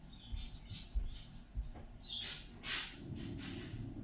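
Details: Happy guinea pig named Fiddy during floor time, fond of being whistled to, utters a clear high squeak followed by louder broadband squeals and soft low thumps, against gentle room noise.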